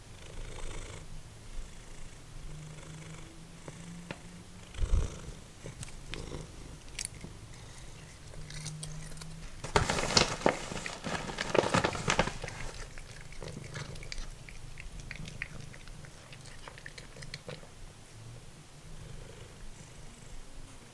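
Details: Simba, a formerly feral cat, purring while eating dried minnows; a steady low rumbling purr runs throughout, broken by a loud burst of crunching chewing midway and a brief spoken remark about finding the larger fish.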